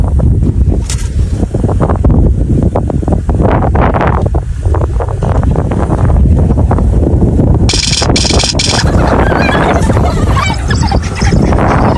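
Heavy wind rumble and passing vehicle noise with some rustling, and no clear animal voice.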